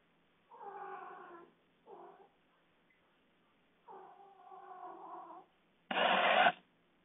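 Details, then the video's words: Pet cats calling at night, a series of drawn-out harmonic meows of varying length, one brief and two long, ending in a sudden louder, harsh broadband burst. "What are my cats doing at night?"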